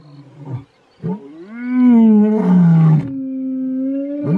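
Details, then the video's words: Mpondo males, big male lions in South Africa, roaring: short low grunts lead into a swelling, harmonic-rich roar that dips and then holds a steady lower drone to the end. "Big male lions roaring.Mpondo males.South Africa"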